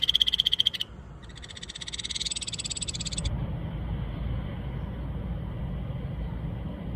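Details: Ryukyu Kajika frog (Buergeria japonica) in Okinawa giving a brief pulsed trill, then a longer rattling bout, before stopping after about three seconds, leaving low rumbling background noise.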